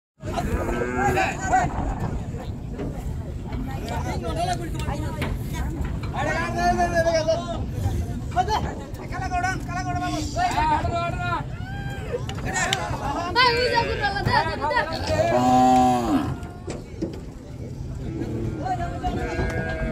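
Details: Cattle, big cows and bulls, unloaded from a boat at Gabtoli cattle market (Gorur Haat) in 2022. Occasional deep drawn-out moos rise above constant crowd chatter, shouting and engine noise.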